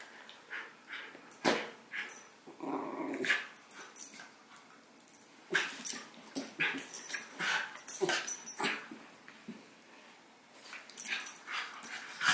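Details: Howie, a six-month-old Havanese puppy, and Remy, a miniature schnauzer, wrestle playfully, captured with a Sony a6000; rough rolling growls and a few sharp barks burst out repeatedly, with a quieter stretch near the end.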